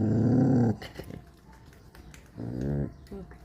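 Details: A puppy growls in two bursts, a loud rumbling growl for under a second and then a shorter, softer one, with faint background music and a person's voice.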